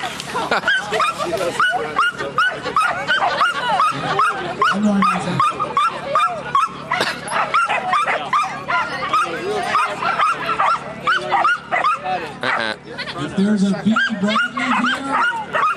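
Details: A dog barking while trying to keep up with a squirrel, rapid repeated yelping barks about two or three per second with arched harmonic bands, some lower whines around the middle and end, human speech in the background.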